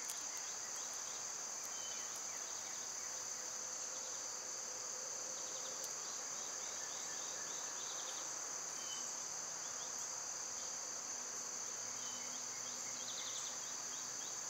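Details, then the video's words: Cicadas sing through a summer day, loud for the season, in a level, piercing drone, with scattered sharp clicks, faint bird chirps and a low hum. "Cicada sounds"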